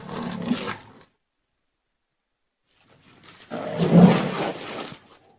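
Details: Rhinoceros making two harsh, breathy bellows, the first short and the second longer and louder, swelling to a low groaning peak, with a quiet gap between them.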